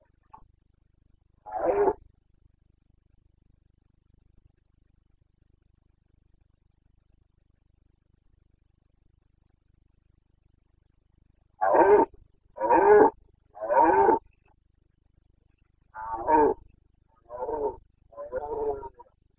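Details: Red deer stag of the Carpathians in rut, Bucovina, September 2022: one short bellow, a long silence, then two bursts of three rapid grunting roars each, clean quiet background.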